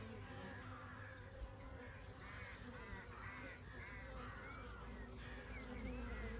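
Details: A continuous low buzzing of honey bees on a summer day holds steady throughout, overlaid by soft, wavering calls from birds in the background.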